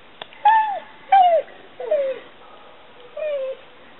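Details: Mastiff named Maly giving four separate high whines, each rising slightly then sliding down in an arched curve, spaced about a second apart, the last softer and flatter, with a faint click before the first.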